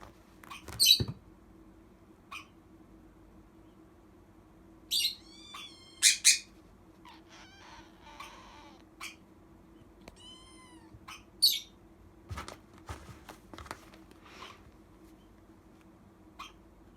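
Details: Abandoned kitten, rescued in September, calling for food with a string of short squeaky cries, several harmonic meows bending down in pitch, and sharp high chirps spread unevenly over the stretch, with soft clicks and a low steady hum behind.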